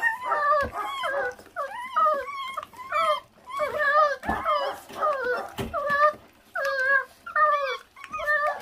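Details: Feral dog pup, offspring of a stray mother that gave birth and does not care for her young, eating. Rapid, uneven series of high, wavering whines and yelps, each bending up then down, several per second, with faint rustling behind.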